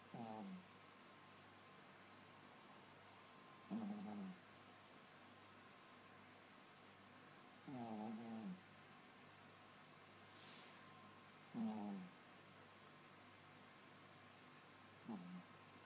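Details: Yorkshire Terrier snoring steadily: five brief, buzzy, whistling breaths repeated about every four seconds, the middle ones longer and louder, in a quiet room with faint hiss.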